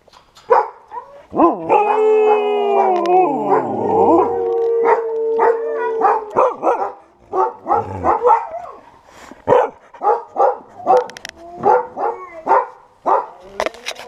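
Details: Several Siberian Huskies at a kennel break into group "song", howling together in long, wavering tones, then short yips and barks.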